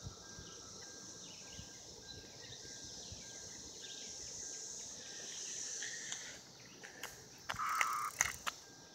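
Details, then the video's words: Mating cicadas from 2016 make an unbroken high buzzing wash, fairly faint. Toward the end, sharp knocks and a brief bright bird note cut through. "Cicadas 2016 mating"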